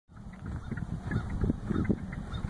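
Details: A chorus of shy wood frogs in a small swamp or wetland gives low, hoarse clacking calls, overlapping like distant quacking ducks; they stopped singing when they saw a person.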